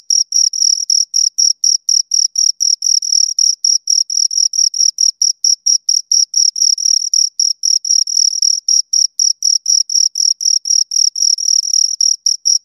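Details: Chirping from two crickets heard up close: rapid, high, scraping pulses packed tightly together, some overlapping as the two callers interleave, steady throughout with silence beneath and nothing else audible.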